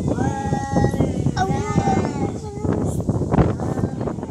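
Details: Fighting cats in a real cat fight, drawn-out wavering harmonic yowls held near one pitch and then sliding lower, set against constant wind rumble and outdoor noise.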